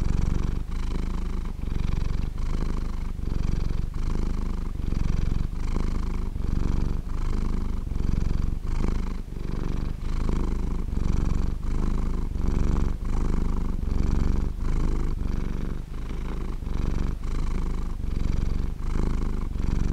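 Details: Sleeping house cat purring steadily for a long stretch, a deep buzzing rumble rising and falling with each breath at a regular pace of roughly one cycle per second.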